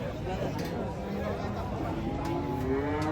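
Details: Thin cattle being unloaded from a truck, too weak to stand: drawn-out, low moos with steady harmonic bands, overlapping across the clip, while people talk and chatter close by.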